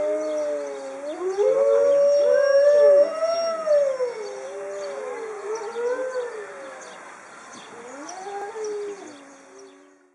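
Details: Several Alaska wolves howl together, long sliding tones overlapping and rising and falling in pitch; these wolves howl after eating, here after one ate a rabbit head.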